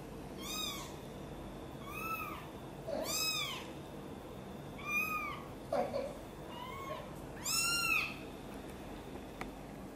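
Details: Domestic cat, a mother cat angered as her kitten Guitar is lifted from a box and carried close to her: high, arched meows with bright overtones, six calls about every one to two seconds, plus soft low background hum.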